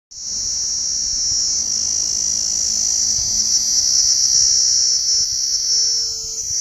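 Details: Cicadas singing: a continuous, steady high-pitched shrill buzz held without a break for the whole stretch, with a faint low tone entering near the end.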